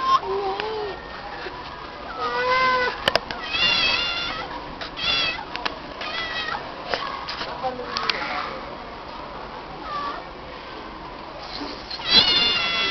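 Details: Stray female cat answering with meows whenever her name is called; a run of short and longer meows, several in quick succession, mixed with people's voices talking, ending in one loud, stretched meow.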